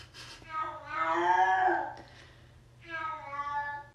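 A Siamese cat lets out a long, loud, wailing meow that rises and then sags. After a brief pause it starts a second drawn-out, insistent cry with the breed's typical raspy voice.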